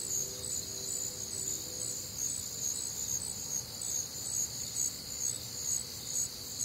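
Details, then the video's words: Crickets calling through a humid, warm Midwestern summer night, rapid bright chirps pulsing over a continuous high buzzing chorus, with a faint low tonal hum briefly at the start. "Night Time Cricket Sounds"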